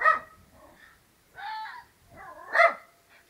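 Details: A domestic dog gives short, harmonic barks in a back-and-forth exchange with a barking fox; hounds join in halfway through as the owner tries to control him.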